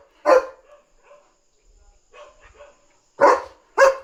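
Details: At night a German Shepherd barks to alert that another dog is outside: one loud bark, a pause with quieter murmuring sounds, then two more loud barks close together near the end.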